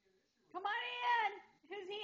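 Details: Moe, a pet Great Dane, voicing a drawn-out whining howl as a visitor leaves: a sustained harmonic tone that bends slightly downward, then a brief second burst, with a person speaking goodbyes.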